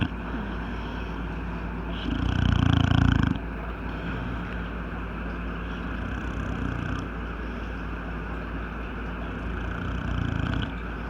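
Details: An old male English bulldog, who snores both asleep and awake, gives one loud, deep, rumbling snore lasting over a second. Quieter throaty breathing and a steady low indoor hum fill the rest.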